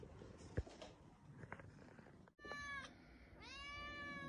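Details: Domestic cat giving two clear, drawn-out meows in the second half, the first short and the second longer and steady, each with a rich harmonic, slightly nasal tone. Rustling and a sharp knock come before them, with faint background noise throughout.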